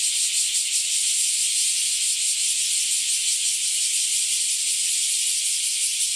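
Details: Bear cicadas in a loud chorus near a home on a hot summer day; a dense, continuous, harsh buzzing roar with fast pulsing, steady throughout with no other sounds.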